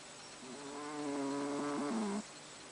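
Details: Haru, a pet cat, snores while asleep: one drawn-out, nasal, tonal breath lasting nearly two seconds, steady and buzzy with a faint flutter and a slight drop in pitch at the end, against quiet room hiss.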